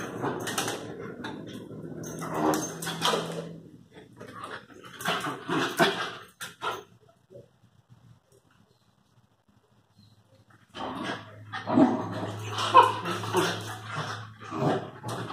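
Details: Lakeland terrier and Airedale terrier puppies indoors, giving scattered high yelps and whimpers mixed with clattering and knocking, then a near-silent stretch midway before a fresh burst of yips and squeals with more bumping.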